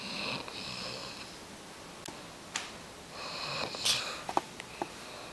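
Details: Kuba the dog snoring indoors: two soft, airy, hissing breaths, one near the start and one after a pause, with a few faint clicks and taps between them.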